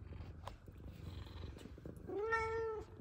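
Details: Indoor F2 Savannah cat greeting its owner after work; continuous low purring throughout, then a sustained, slightly rising harmonic meow in the last second.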